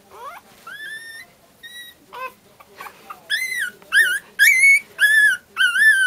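Pomeranian puppies howl in high, wavering, whistle-like cries, rising then gliding down, in short bursts.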